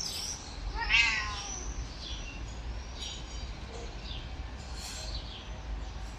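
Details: Talkative little red male kitten meowing for attention and affection: one clear, rising-then-falling meow about a second in, followed by softer, faint mews over a steady background hiss.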